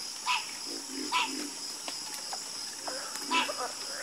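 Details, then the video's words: Frogs croaking in a nighttime chorus, sparse calls spaced about a second apart, each a short nasal note with bright upper tones, set against a steady high insect hiss. "Calming Sound Of Harmonious Frog Croaking"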